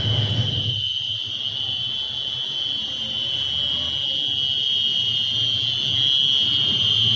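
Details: A cricket found singing in the silence of the night gives a steady, shrill, high-pitched trill that carries on without pause.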